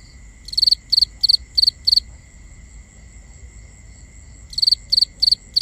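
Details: Crickets calling at night, binaural nighttime ambience: high pulsed chirps in bursts of five, one burst roughly every third of a second, pausing about two seconds before resuming; steady faint high tones and low rumble beneath.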